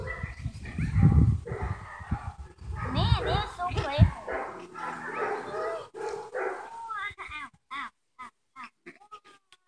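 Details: Playing Havanese puppies whimper and yelp with wavering, sliding squeals, loudest midway, then a run of short sharp yips near the end, with people talking underneath.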